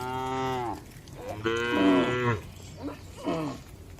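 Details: Gentle cattle in a well-kept farm barn moo in quick succession: a long level moo, a louder wavering one, then two short low calls, with overlapping voices.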